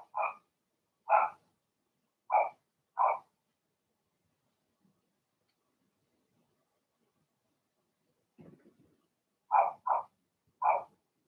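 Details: Blenheim Cavalier King Charles Spaniel puppies from a litter of six in a puppy pen, barking in short sharp yaps: four spaced barks, a pause with a faint rustle, then three more quick barks.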